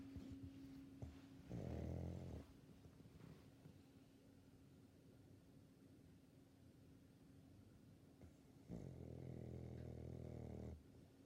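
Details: A sleeping 16-year-old female Labrador Retriever gives two rasping, rumbling snores about seven seconds apart. The second snore is longer, with faint breathing between them.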